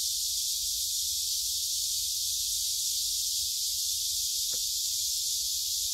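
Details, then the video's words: Cicada chorus in Gyeongju's Gyerim forest, South Korea, captured by phone on a woodland walk on 16 July 2022; a continuous shrill buzzing wash holds level, with one brief click near the end. "매미들이 노래하는 '경주 계림'"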